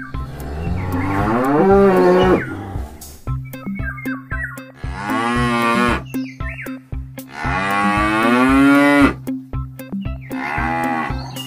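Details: Frogs chirping, presented for children learning animal sounds: a fast, high-pitched trill of closely spaced pulses for roughly two seconds, with a thumping background music track throughout.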